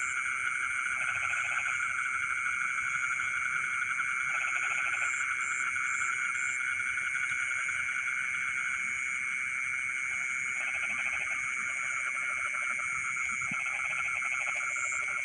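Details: Frogs singing in rice fields at midnight, with repeated short bouts of rapid rattling croaks at irregular intervals, set against an unbroken wall of high-pitched insect buzzing.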